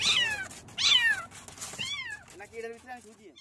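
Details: Kitten mewing: three high, thin meows that slide downward, each about half a second long, come in quick succession. Softer, lower wavering tones from music or a voice follow.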